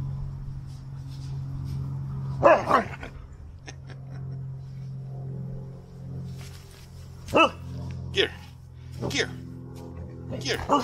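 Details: Siberian Huskies fighting over a knot rope toy give a few scattered high, bending yowls and barks, sparse bursts with gaps of several seconds over a low steady hum, with faint human speech in the background.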